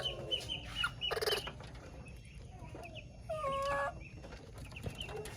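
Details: Baby monkey calling its mother with a loud, steady whistled note lasting about half a second, rich in overtones, amid busy background chirping, short clucks and rustling.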